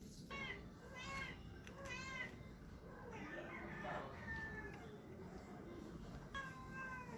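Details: A cat makes funny sounds: a few short, faint, harmonic meows, some falling in pitch, over a steady hiss and low background rumble.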